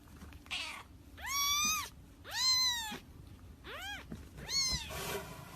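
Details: Cat protecting its kitten: four loud, drawn-out meows, each rising then falling in an arch and spaced about a second apart, the third shorter and lower, ending in a brief noisy breathy burst; quiet room background.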